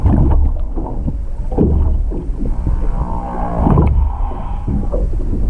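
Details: Humpback whale singing off Hakohama, east of Chichijima, on 21 February 2021, recorded underwater with a GoPro 7 beside a stopped boat: a low moaning tone with stacked harmonics swells midway, over heavy sloshing water and splashing.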